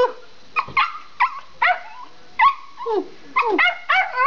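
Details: Two pet Schipperkes, Bella and Gina, running through the house: sharp, high yapping barks come in short bursts with brief pauses, some ending in a falling whine, about eight barks in four seconds, indoors.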